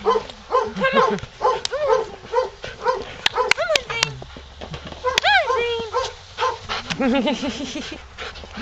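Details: Male Siberian Husky at an SPCA shelter awaiting adoption, out in snowy weather, described as shy with little socialization; repeated short arching yips and whiny howl-like calls, with a person's voice and sharp clicks in between.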